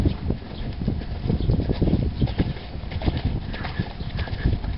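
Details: A four-year-old stallion sired by Sandro Song, its hooves striking in quick, irregular clip-clop thuds, loud and bass-heavy throughout.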